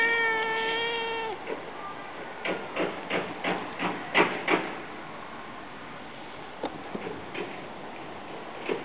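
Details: Domestic cats indoors, a male Siamese asleep in a basket as a black-and-white female approaches; one steady, drawn-out meow of just over a second opens, then a quick series of soft taps and shuffling sounds follows.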